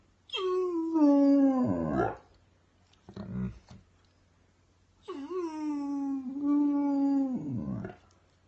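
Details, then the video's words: Weimaraner dog crying indoors: two long drawn-out harmonic wails, each about two seconds, steady then falling at the end, separated by a short low grumble, with a faint hum behind. "Weimaraner crying"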